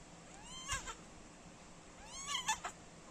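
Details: Tiny one-month-old kitten beside its nursing mother gives two thin, high, upward-sweeping mews about one and a half seconds apart, each ending in a short clicky burst, over steady soft background hiss.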